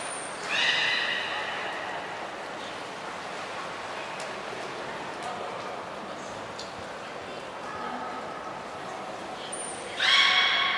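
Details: Training beluga Hodoi, Port of Nagoya Public Aquarium, 6 January 2019, during gastric fluid and blood sampling: brief high whistle and harmonic squeal at the start, quieter tones mid-way, another squeal burst at the end amid hall noise.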